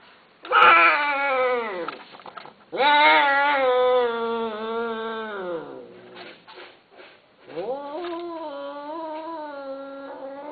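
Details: Male and female Himalayan Persian cats during mating: long, drawn-out harmonic yowls, each wavering and falling over about two seconds, then a bending rising wail after a short pause of scuffling.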